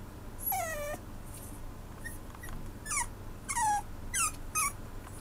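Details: Maltipoo puppy whimpering: five high, thin whines that slide downward, each under half a second, spaced roughly every half to one second, over a low steady background hum.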